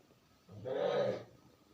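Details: Kitten giving a single drawn-out meow lasting under a second, swelling quickly and then fading, against a low steady background hum.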